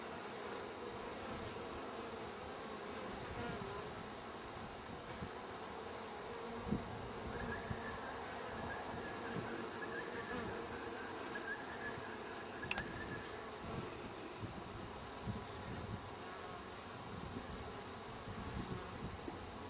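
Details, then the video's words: Wild bee colony in a hive, wrapped up and ready to be collected; a steady, low, droning hum of many bees throughout, with a faint higher whine partway through and a brief sharp click near the end. "wild bee hive"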